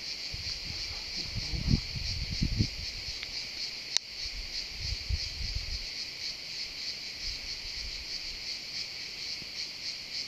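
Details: Pine-scented woodland full of cicadas droning in a constant high buzz, while low thumps and handling sounds come and go underneath, plus one sharp click around the fourth second.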